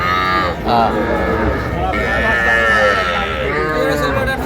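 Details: Cattle at a calf market in Pabna, Bangladesh, where small bull and heifer calves are sold, 12 May 2025: drawn-out harmonic moos rising and falling, overlapped by men talking and market crowd noise.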